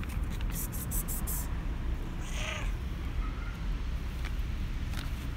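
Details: Black and white cat meowing because he wants food; one short, faint meow midway through, preceded by sharp clicking bursts, over a steady low indoor rumble.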